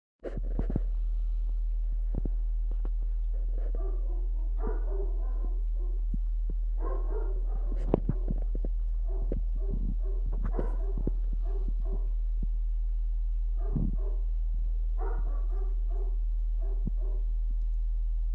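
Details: Seven dog puppies, twenty days old, playing calmly; short grunting yips and squeaks come in loose clusters over a steady low hum.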